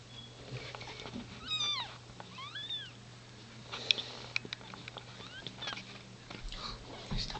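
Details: Newborn kitten just born still in its sac while the queen cat gives birth, close up; several thin high rising-falling mews around the middle, with a woman speaking, rustling and a steady low hum.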